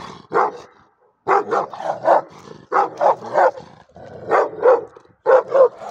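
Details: Angry shepherd dog barking in rapid bursts of two to four harsh, loud barks with short pauses between volleys, roughly one bark per second overall.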